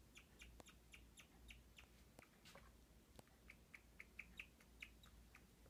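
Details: A guinea pig hiding under a wooden shelter in a cage chirps in quick, bird-like peeps, repeated several times a second.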